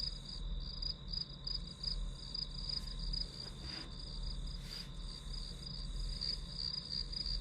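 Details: Chirping grass insects as ambient study sound, a shrill pulsed trill riding on a constant high whine, with two brief rustling bursts in the middle and a low background rumble.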